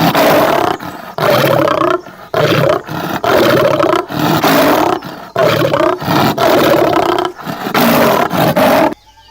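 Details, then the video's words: A tiger roars in loud, rough bursts, each about a second long, repeated with short pauses. "എന്ത് വലിയ ശബ്ദമാണല്ലേ കടുവ ഉണ്ടാക്കാറ്. ആ ശബ്ദം നമുക്ക് ഒന്നും കൂടി കേട്ട് നോക്കിയാലോ? പേടിക്കരുതേ."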